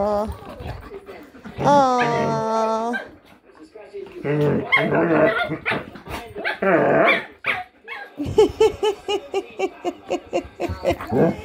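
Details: Household dogs, a German Shepherd and a Jack Russell cross Chihuahua, 'talking': a drawn-out, steady, tonal howl, then rougher wavering moans, ending in a quick run of rhythmic short bursts, with a person talking and laughing alongside.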